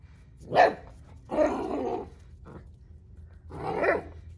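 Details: Two Central Asian Shepherd puppies exploring unfamiliar ground outdoors in freezing weather, 14°F: a sharp bark, a longer hoarse bark, a faint short one, then another rough bark, with quiet pauses between them.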